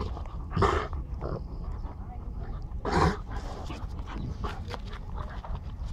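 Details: Two dogs at play, a seven-month-old Bull Terrier and a three-year-old Cane Corso: two loud, harsh barks about two and a half seconds apart, with human voices talking throughout and a steady low rumble underneath.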